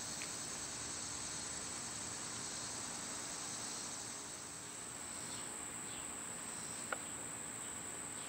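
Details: Loud summer cicadas give a continuous, even, shrill drone that never pauses, with one short bird note near the end over soft outdoor ambience.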